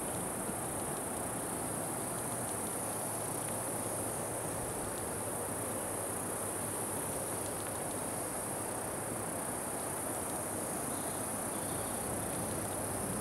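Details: Cicadas recorded 26 June 2013, with Putnam's cicada and Okanagana bella among the callers and an unidentified circular-saw-like singer. A steady, unbroken high-pitched buzz runs throughout over a broad, rough hiss of low background noise.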